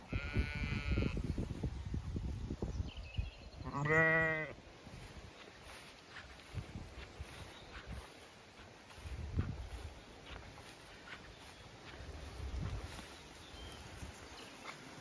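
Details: Zwartbles ewes and lambs on a regenerative farm in County Kilkenny, Ireland, hot May weather; a bleat at the start, a faint cry, then a strong vibrating bleat at four seconds, followed by footsteps and rustling.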